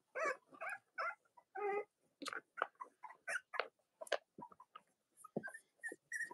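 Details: Newborn Cavalier King Charles Spaniel puppies belonging to Robin and Myra, indoors in the US on a chilly Monday morning before Halloween; steady overlapping whimpers, grunts and squeaky cries from several pups, varying in pitch throughout.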